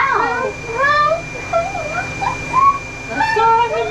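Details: During a mobile grooming session in Oklahoma, USA, the very vocal dog Ollie makes quick, sliding whine-like notes that rise and fall, chattering on in short bursts over a steady background hum.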